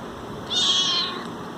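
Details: A cat asking for food: one short, high-pitched, strained meow lasting about half a second, rising slightly then fading, over a steady low background hiss.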